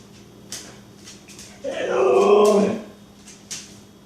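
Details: Jealous Siberian Husky making a Chewbacca-like noise: one drawn-out, groaning, harmonic vocal of about one second, rising and falling, with faint clicks and taps before and after.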